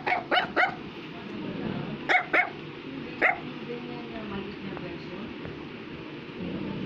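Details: Small Affenpinscher dog letting out quick yappy barks indoors, three rapid ones, then two, then a single bark, followed by several seconds of quiet room hum and faint voices.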